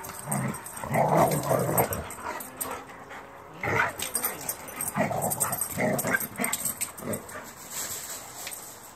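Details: Dogs Gator and Luna play-wrestling outside after midnight, giving rapid, rough growls and huffing barks in dense clusters, loudest near the start and again around the middle, with night hiss behind.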